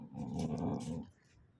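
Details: Golden Retriever growling while stealing a slipper: one low, rumbling, steady growl lasting about a second, then quiet.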